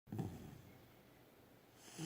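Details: Sleeping puppy, December 22, 2017, snoring indoors: a rough snorting breath at the start, a quiet pause, then another throaty snore rising at the end.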